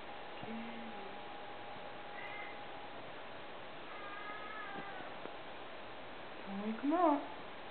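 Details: Siamese kittens sleeping at a cattery in Southern Maryland, USA, giving a few soft, short mews spaced seconds apart, then a louder wavering rising-and-falling mew near the end, over a steady low hum.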